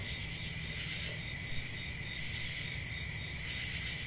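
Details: Chorus of crickets on a calm rural summer night: continuous high, shimmering trills holding an even level throughout, backed by a quieter second ringing tone and gentle low background hum.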